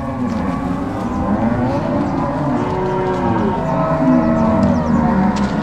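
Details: Angus-Nelore crossbred herd on the move from corral to pasture, Ortigueira, Paraná, Brazil, 16 March 2022; continuous overlapping low lowing from many cows, drawn-out moos blending into a steady bellowing chorus.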